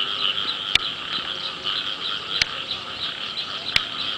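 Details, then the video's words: Frogs calling in the rain early in the year, a dense continuous chorus of rapid pulsing croaks in two bands, mid and high, with three sharp clicks standing out above the steady din. "ភ្លៀងដើមឆ្នាំ, Rain with the sound of frogs"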